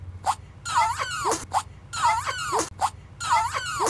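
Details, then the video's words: Yorkshire Terrier sneezing indoors: three near-identical bursts, each a short snort followed by a wheezy, whining rise and a sharp exhaled sneeze, repeated about every 1.3 seconds in a quiet room. "YORKIE OUTRAGEOUSLY FUNNY SNEEZE!"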